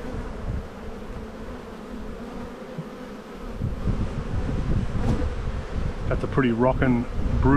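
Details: Honey bees in a bee yard during a spring buildup hive inspection on 7-9-22, with the first sign of a flow: a dense, low, steady hum that swells after three seconds, with a person talking over it near the end.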